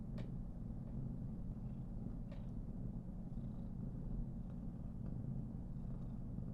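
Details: Somali cat Karen, a female born 19 November 2021, being petted vigorously and purring; a low continuous hum runs under several sharp clicks and rustles of handling fur.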